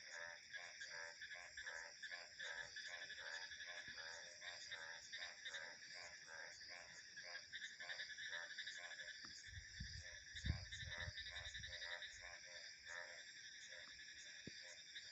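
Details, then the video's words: Frogs calling in a steady chorus, short pulsed croaks repeating rapidly, several per second, over continuous high insect and cricket trilling; a brief low wind rumble near the end. "Frog Sounds 🐸 Insects, Crickets and Wind Ambience"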